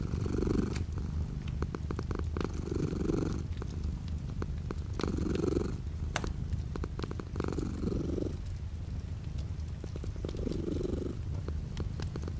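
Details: Domestic cat purring steadily with light rain outside a window; a low continuous rumble swells in cycles roughly every two and a half seconds, with soft rain patter and faint ticks above.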